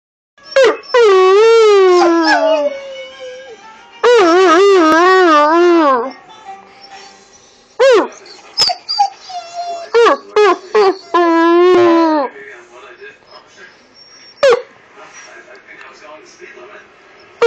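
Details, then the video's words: Husky-wolf hybrid dog arguing with its owner: loud, wavering, tonal howl-like vocalisations in bursts, the first two lasting about two seconds each, then several shorter rising yelps and a longer wobbling call, with quiet gaps between. "hybrid husky wolf arguing"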